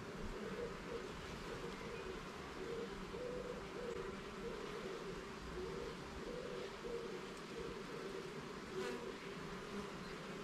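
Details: Garden beehive being inspected level by level, its honey bees giving a constant, even buzz with small fluctuating pulses and no other clear sounds.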